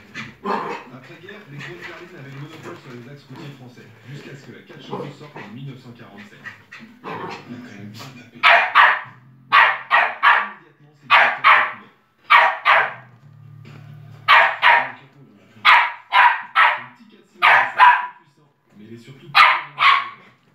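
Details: West Highland White Terrier barking at its own reflection in the lower part of a piano; people talking quietly at first, then sharp high barks in pairs and triplets from about eight seconds, with short pauses between bursts.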